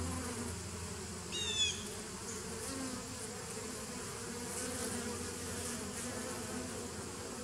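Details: Continuous droning of bees on 27 September 2018, even and low-pitched, broken once early by a brief high chirping sound over the steady hum.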